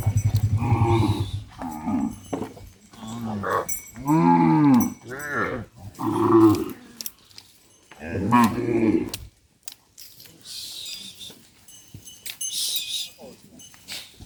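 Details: Cattle being herded back to the farm barn, several overlapping deep moos and lowing calls, some arching in pitch, clustered in the first nine seconds, followed by quieter rustling, footsteps and handling noise.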